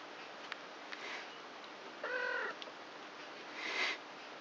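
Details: Three-week-old kittens, a litter of four born 29 March to Krampus, playing with each other at night indoors; one short, flat, harmonic mew of about half a second, then a thin higher squeak, with soft clicks and rustling.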